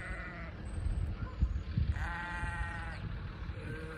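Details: Sheep in Vermont, met on a delivery route, walking after a person as if wanting to join; a brief bleat at the start, then a longer wavering bleat of about a second, and a faint third near the end over low rumbling footsteps.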